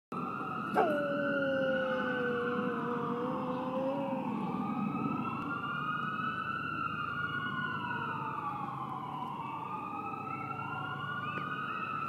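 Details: Cecil, a Bouvier des Flandres dog, howling at sirens: one long, steady, drawn-out howl lasting about three seconds, followed by loud emergency sirens wailing up and down in overlapping sweeps.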